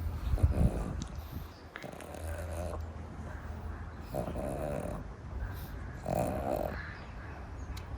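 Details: Sleeping pug, Pam Pam, napping after overdoing playtime: deep, low, rattling snores in slow breaths about every two seconds, each a throaty rumble with a faint nasal whistle, in a quiet indoor room.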